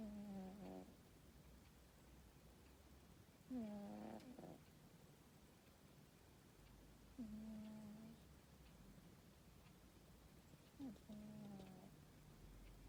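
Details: Tomcat asleep in a high, cosy bed with a garden view on a summer afternoon, snoring: four soft, regular snores about every three and a half seconds, each a low hum with a brief whiny tonal edge, over quiet background hiss.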